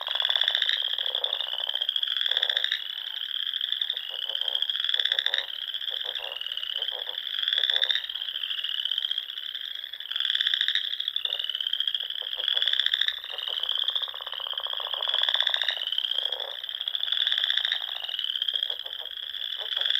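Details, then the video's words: Frogs singing in spring in Nebraska's Sandhills at dusk, near small ponds: a thick, steady chorus of high buzzing trills, with louder pulsed bursts rising and falling about every two to three seconds. "RELAXING SOUNDS OF FROGS"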